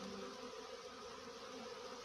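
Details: A small swarm of honey bees settled low to the ground while being coaxed into a box; a dense, steady buzzing hum of many wings fills the clip, with bands around the low hundreds and a broad hiss above.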